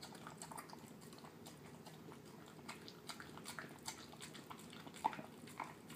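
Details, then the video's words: Male terrier mix dog enjoying a dinner of canned food and kibble, with soft mushy chewing and lapping clicks in quick irregular succession, one sharper knock near the end, and a faint low background hum. "Dog eating yummy food"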